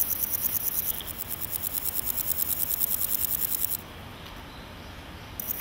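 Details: Male naki-inago grasshopper stridulating in grassland, hind legs rubbed on wings: a dry, buzzy rasp of fast even pulses for almost four seconds, a brief silence, then the rasping starts again.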